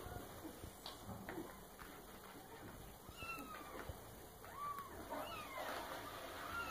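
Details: Young domestic female cat named Karina, not yet nine months old, indoors after checking thawing meat and drinking milk; a few short rising-falling meows in the second half over a steady room hum, with some soft human speech.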